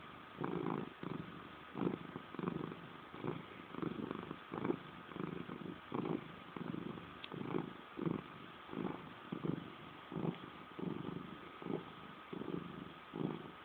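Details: Domestic cat named Salem giving a passive-aggressive purr: a continuous low rumble swelling and fading in regular breaths, under a second each, with a faint steady background hum.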